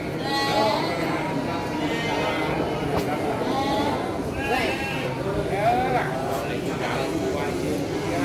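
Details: Garut sheep ewes at the Andir sheep market in Garut, Indonesia, recorded 5 April 2021. Repeated shaky, wavering bleats come from several animals. Market noise and human speech fill the background.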